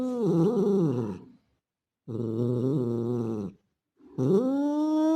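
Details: Male street cat calling a female in heat: three long, low, harmonic yowls of about one to one and a half seconds each, separated by short silences, the last one sliding upward and holding steady; quiet room, no other sounds.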